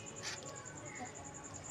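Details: Cricket at night: a steady high, thin pulsing tone, about ten even beats per second, with a short louder rustle or thump near the start.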